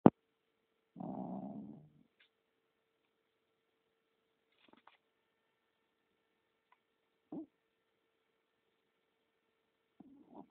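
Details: Sleeping pet dog snoring indoors, its feet twitching in sleep: one raspy, low, breathy snore lasting under a second near the start, then a couple of short, faint snorts spaced several seconds apart in an otherwise quiet room.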